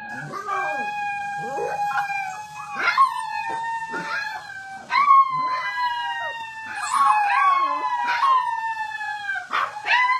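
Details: Alaskan Malamute puppies, finding their voices, howl together as a group in long, wavering, slowly falling tones.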